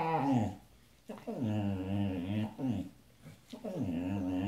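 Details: Pet husky Sasha singing: low, growly, wavering howls in three phrases, each starting with a sliding drop and then holding a throaty, warbling tone, separated by short breathy gaps.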